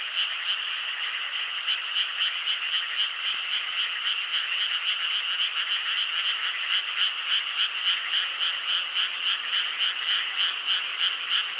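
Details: Night chorus of many frogs keeping up a loud, even trilling croak, pulses coming in quick regular succession for the whole stretch, nothing else audible above it.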